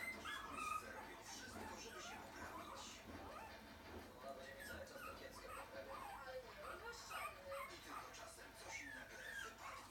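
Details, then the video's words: Several puppies whine and yip in short, high squeaky bursts, scattered unevenly across the stretch, with people talking and faint music underneath. "Crazy puppies"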